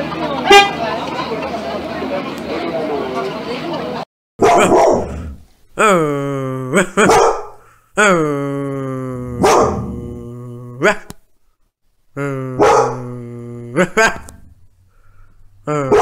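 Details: Dog from a compilation of barking dogs and puppies: a burst of rough noise, then a series of drawn-out, tonal, howling barks, some sliding in pitch, separated by short silences.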